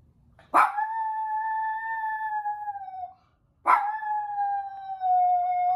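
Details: Toy poodle left alone by its owners, howling: two long, steady, clear-toned howls, each lasting about two and a half seconds and separated by a short silence, the first easing slightly downward at its end.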